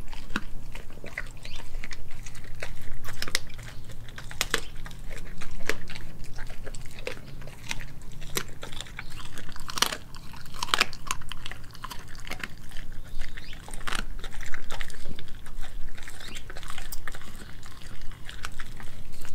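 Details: Kelpie and German Shepherd mix Nala gnaws raw meats, beef liver and heart, chicken feet and thigh, filmed on a Nikon D5600. Quieter, steady crackling bites and wet chewing clicks repeat irregularly throughout, with a faint low hum beneath.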